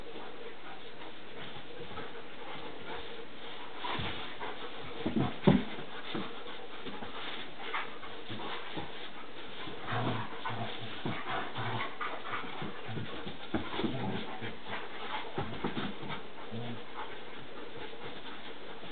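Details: Three dogs, a Boerboel, a Bouvier and a Dutch Shepherd, wrestling in play; scattered rough growly bursts, snorts and panting, louder around five seconds and between ten and sixteen seconds, with scuffling throughout.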